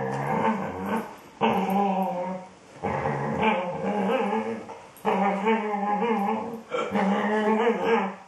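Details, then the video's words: A female Border Collie sings to her ball in long wavering moans and whines, broken into drawn-out phrases with brief pauses, as if trying to talk to it; Border Collie. "princess the border collie singing/talking to her ball"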